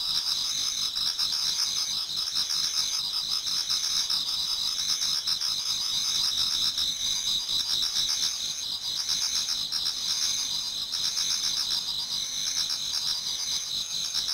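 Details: Garden insects in Japan singing in autumn as dawn approaches, many together: continuous high ringing trills with a slower throbbing beat in places, a dense unbroken wall of chirps.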